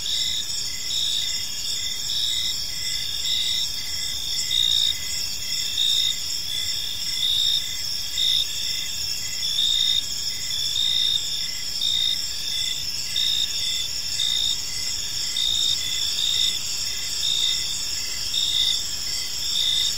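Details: Crickets chirping in a peaceful park as evening unfolds: a dense, high, steady trill with pulsed chirps about once a second layered over a softer continuous buzz, no other clear sounds.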